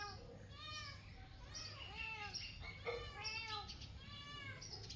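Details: Cat crying from up in a tree: a run of high, arched, whiny mews, each under a second long, repeated almost continuously with short gaps, over low background hum.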